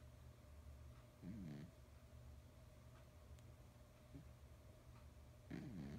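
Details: Big male cat of nearly 20 pounds dreaming in his sleep, giving two low, wavering snorts several seconds apart, sounding almost human, against a faint constant hum.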